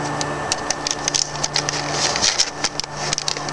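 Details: A steady mechanical hum runs under a rapid series of sharp clicks and ticks, with no cat or other animal sound audible.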